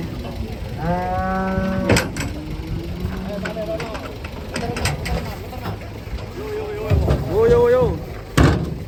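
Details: Cattle unloaded from a truck in Indonesia: a long, steady low moo near the start, later softer lows, then a rising, strained bellow, with knocks, clatter and a man's voice around them.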